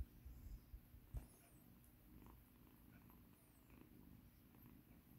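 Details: Rescued kitten named Mikan, once battered, purring softly while being massaged indoors; low, steady rumble near the floor of the range with a few handling thumps early on and faint rustling.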